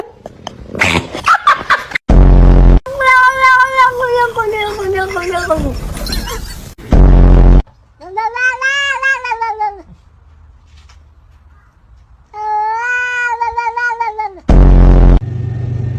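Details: Domestic cat giving three drawn-out, wavering meows, the first long and sagging downward, the others shorter and arched, separated by brief loud bursts of other noise.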